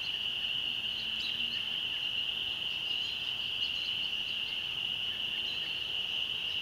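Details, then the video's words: Country dusk chorus of spring peepers near a church, a yearly seasonal appearance. Continuous shrill, even ringing from many calling frogs, with faint bird chirps above. "Spring peepers ,birds singing and other amazing nature sounds in the country at sunset"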